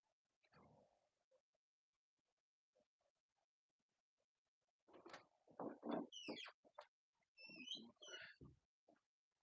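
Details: Three-week-old English Cocker Spaniel puppies eating food for the first time in a kennel: soft smacking and lapping noises, then a cluster of thin, high, squeaky whines that bend up and down amid wet chewing.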